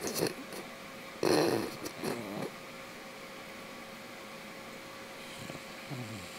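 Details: An English bulldog snores in rough, rasping bursts, each breath a ragged rumble followed by quiet, sleeping on a weekend, one of his favourite things to do.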